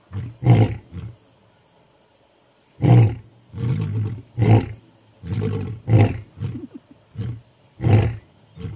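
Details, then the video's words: Two male lions, the Masungulo brothers of Balule, South Africa, roar at night to announce their presence as they head out: deep, booming roars breaking into a run of short, heavy grunts. "Two male lions roar into the night!"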